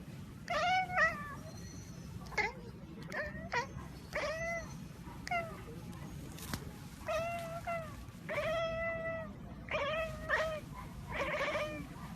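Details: Kittens talking and making funny noises: a quick run of about ten short, high meows, each with a bending rise and fall, some squeaky and some drawn out, over a soft hissing background.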